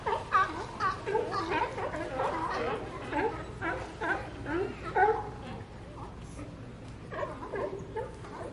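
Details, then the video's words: Several sea lions calling together: hoarse, harmonic barks and groans overlap in quick, irregular bursts, rising and falling in pitch, with a steady low background murmur throughout. "Sea Lions Sound Effect"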